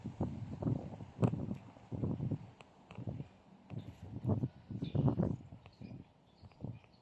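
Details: Beauty the cat in a coughing fit, repeated rough, low-pitched hacking bursts coming roughly every half second to second, loud and close, with a few faint higher clicks in the background.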